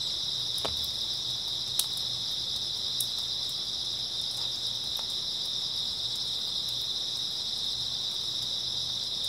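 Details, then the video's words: Grass insects on an early autumn night, a dense chorus forming one steady, high, shimmering trill that never pauses, with a few faint scattered ticks and a low, soft hum underneath. "풀벌레 소리"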